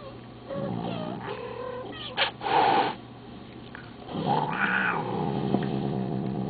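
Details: Pet cat, female, voicing disapproval at a recording of talking cats, with long, rising and falling meowing cries and a short sharp yowl in the middle over a constant low hum.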